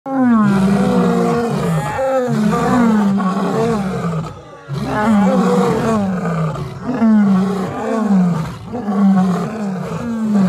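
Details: Three rescued lions at a big cat sanctuary roar together in a chorus of deep, overlapping, falling moans that repeat every couple of seconds.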